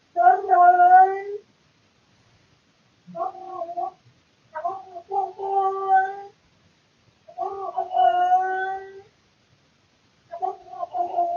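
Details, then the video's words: Male cat indoors in the small hours, around 3 to 4 am, repeating its routine night calls: a string of harmonic meowing yowls, some broken into short stuttering pieces, separated by pauses of one to two seconds. "Cat making funny annoying sounds (routine noises at night)"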